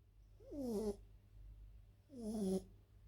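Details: French bulldog Elsa asleep, giving two tonal, slightly whistling snores with a buzzy rasp, about two seconds apart, in a quiet indoor room.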